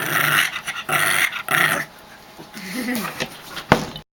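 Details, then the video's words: Pug getting a back rub indoors, sounding almost angry: several harsh snorting breaths, then a low, wavering grumbling grunt, followed by a short sharp click near the end. "Pug funny noise back rub"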